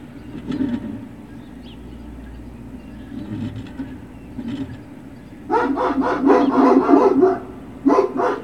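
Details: Quiet low rumble at first, then Great Dane puppies break into a rapid, dense burst of barking lasting about two seconds, followed by a brief pause and a last short flurry of barks.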